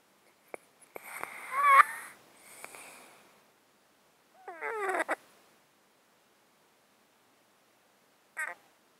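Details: Sleeping domestic cat in a box, breathing snottily because of a long-standing underlying disease. Close-mic recording with a whistling, wheezy inhale and a soft exhale, then a rattly, snuffling breath a few seconds later and a brief snort.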